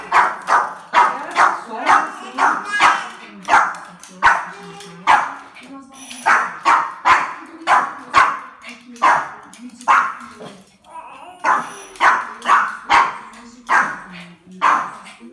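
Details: Domestic dog barking in reaction to a doorbell sound: short, sharp barks in rapid runs, about two per second, with brief pauses between bursts over fifteen seconds, while people talk in Portuguese in the background.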